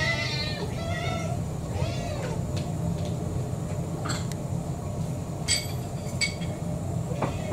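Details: Kurumi, an orange tabby mixed-breed cat about four years old, asking for dinner: two or three arching meows at the start, then only scattered clicks and knocks against a constant low hum.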